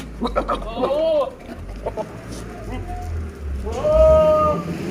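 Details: At a Pushkar, Rajasthan goat farm, a large Sirohi male utters a short rising-falling bleat, then after a pause a longer, steadier one, amid brief clatter and a low background rumble.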